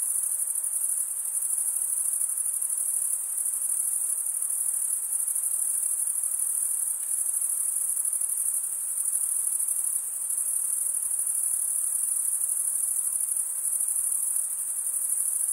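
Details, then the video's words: Crickets chirping by stridulation, usually the males: a continuous shrill trill held at one high pitch, with faint regular pulsing and brief slight dips in loudness, nothing else audible over the steady insect chorus. "Most relaxing cricket sound"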